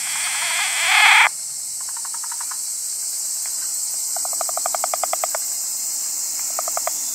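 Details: Wrinkled frog calling in short pulsed bursts, rapid rattling trains of notes repeated three times with brief gaps, over a steady high insect drone; a brief loud rustle comes at the start.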